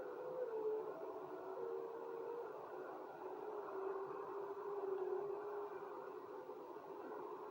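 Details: Wolves howling together, with long drawn-out tones holding near one low-middle pitch and wavering slightly, several voices overlapping over a steady background roar.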